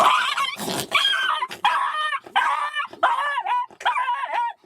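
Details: A Jack Russell Terrier confronting a fox, apparently during a hunt, gives shrill, wavering barks and yelps in quick, agitated bursts.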